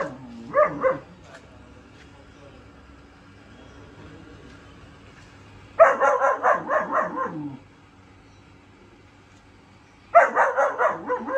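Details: A 4-month-old German Shepherd puppy gives bursts of high, sharp barks separated by quiet pauses.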